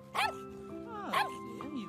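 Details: A mother dog trapped in a deep hole on a beach with her puppy gives a few sharp, rising-then-falling barks over background music and talking. She barks continuously when humans appear.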